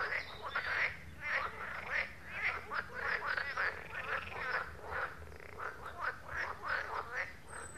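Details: Frogs at a pond croak in a steady chorus, many rapid, rasping quacking notes overlapping several times per second, with no other clear sounds.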